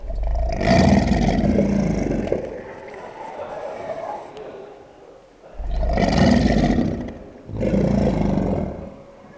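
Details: Bellowing American alligators kicking off their breeding season, heard as three heavy, low rumbling roars, the first long, then two shorter ones close together near the end, over a steady low background.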